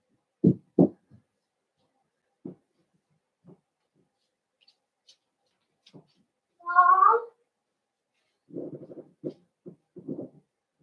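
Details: Newborn blenheim Cavalier King Charles Spaniel puppies, a litter of five born at New Year's, in an indoor puppy pen. A brief wavering, high squeal stands out among soft low thumps and shuffling sounds.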